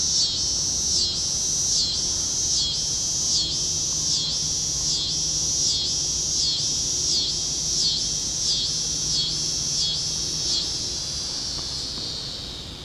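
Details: Tibicen pruinosus singing in a neighbor's walnut tree, Hutchinson, Kansas, June 2010; about fifteen evenly spaced high buzzy pulses, under a second apart, merge into a steady droning buzz that fades at the end.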